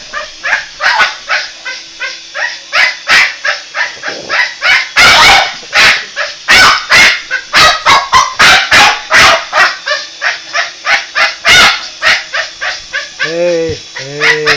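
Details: Boston Terrier attacking a toy helicopter, barking in a rapid, uneven string of sharp, bright barks about three per second, with a brief harmonic whine-like sound at the end.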